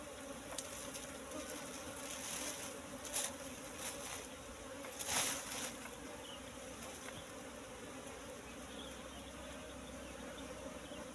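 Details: Dense, steady buzzing from a wild Asian honey bee nest in bushes, honey full; the hum persists evenly, with brief rustling and handling noises around the middle.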